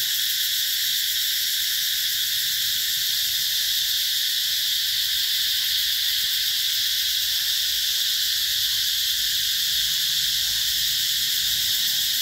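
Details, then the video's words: Summer cicadas at Mỹ Luôn eco-tourism site, 2021, among durian and Thai jackfruit orchards: an intense, even, high-pitched whirring drone that never pauses, with a soft low background hum. "tiếng ve gọi hè"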